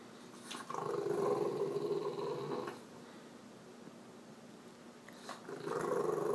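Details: Kermit, a French Bulldog indoors, grumbling to get his owner off the computer and outside: two long, low, buzzing growl-moans of about two seconds each, separated by a quieter pause.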